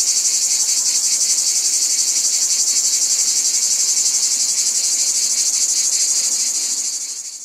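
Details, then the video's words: Steady, shrill buzzing of a cicada chorus with rapid pulsing, about four beats a second. The sound stays loud and even, then fades slightly in the final second. "Cicadas | Black Screen Sounds"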